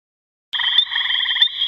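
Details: Gray tree frog calling: after a half-second of silence a loud, evenly pulsed musical trill starts and runs to the end, with a steady high ringing tone layered above it.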